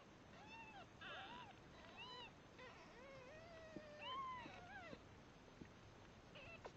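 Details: Red Devon Rex kittens, three days old, squabble over milk with overlapping high arched mews, some short and chirpy, one longer drawn-out wail, crowding close together with a few soft clicks.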